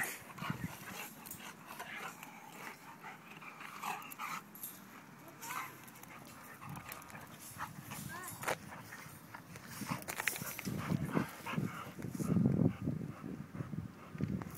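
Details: Play-fighting between Betty, a female Rottweiler, and Micky, a male golden retriever: rough low growls and grumbles build toward the end, louder bursts near the close, with scuffling, panting and occasional human speech around them.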